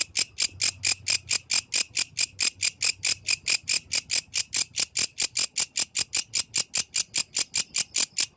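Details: Authentic nighttime recording of a yellow grasshopper: loud, high, scratchy chirps pulsing steadily around four times per second without pause, little else audible.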